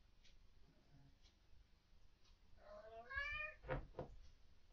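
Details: Indoor cat at night, agitated by what its owners believe are ghosts or orbs, gives one drawn-out wavering meow followed by a short harsh sound, against a low background hiss.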